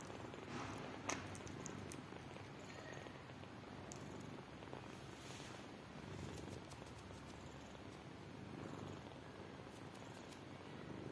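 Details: Tired mother cat with newborn kittens that want to drink milk; steady low rumbling purr runs throughout, with a few faint clicks and a brief sharp tap near the start.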